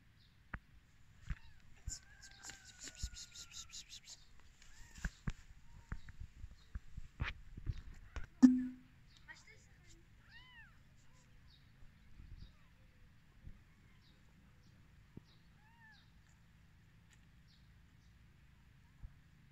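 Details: Kittens born to a cat that same day make a few brief, thin, arching mews in the later part, after a stretch of close rustling, handling noises and soft whispering.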